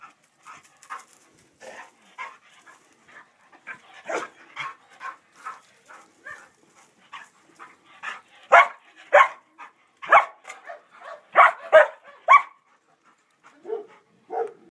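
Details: Female Kuvasz, a shy working-breed dog kept in a shelter kennel with other dogs and awaiting adoption, panting in short breathy bursts that come in quick runs and grow louder toward the end, with brief quieter gaps between.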